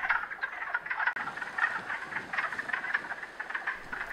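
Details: Wood frogs calling in a spring breeding pool in North America after emerging from hibernation; many males overlap in a continuous, chattering chorus of rapid clucking notes with no synchrony between callers.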